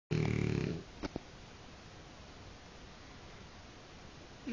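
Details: A French bulldog snores indoors, giving one short, low, rumbling breath at the start, followed by near silence with a couple of faint clicks.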